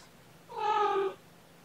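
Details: Kitten named Niffler, one of four kittens of a mother cat named Seraphina transferred from a shelter in Lewis County, Washington, playing with a stuffed toy: a single short tonal meow lasting about half a second, slightly falling, in a quiet room.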